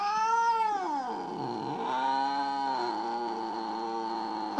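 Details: Drawn-out complaining meow from Mo, a jealous house cat. The rich, harmonic tone dips sharply in pitch midway, then levels into a sustained wail that holds to the end. Faint background music.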